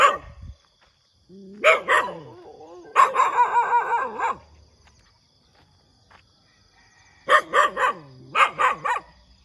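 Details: Dog heard in the morning giving clustered barks: a short double bark, a long ragged run of rapid barking, a quiet pause, then two tight groups of three or four barks.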